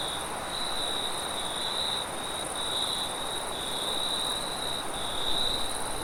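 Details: Crickets chirping at night, shrill trilled phrases recurring every second or so beside a faint high whine, with wind noise filling the lower range throughout.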